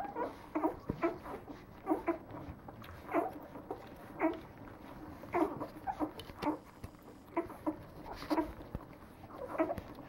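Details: Nine-day-old Leonberger puppies from a French breeding kennel, a litter calling together: short high squeaks and grunts repeated irregularly, several pups overlapping, soft rustling between calls.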